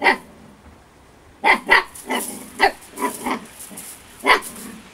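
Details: Playful female Husky puppy Storm, eight weeks old, barks in scattered bursts: about eight short, high puppy barks, some in close pairs, with quiet gaps between.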